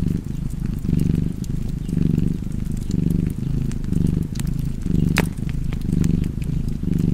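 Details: Cat purring by a fire, its throaty rumble rising and falling in regular breath cycles while scattered wood crackles and one loud pop cut through.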